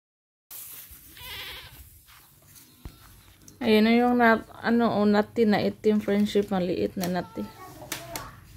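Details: Pet domestic goats bleating: after a quiet, murmuring stretch, a run of six or so loud, nasal, wavering bleats follows in quick succession over about four seconds, then fainter bleats trail off.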